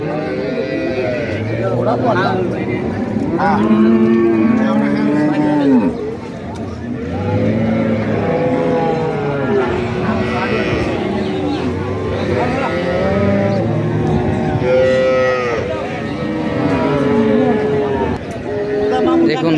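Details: A crowd of cows and calves at a cattle market in Bangladesh, local and foreign breeds for sale; low, arching moos from several animals overlap throughout, repeated every few seconds, with murmuring voices behind.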